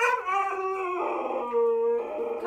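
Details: Stubborn Siberian Husky howling in protest at being taken for a walk; a sustained tonal howl that wavers, dips lower midway, then holds a steady pitch before rising again.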